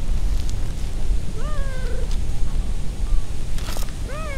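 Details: Stray cats in a park beside a large pond, lounging along the path and gathering on a bench while being petted; two clear tonal meows, each rising then falling, one early and one at the end, over a low steady rumble with faint clicks.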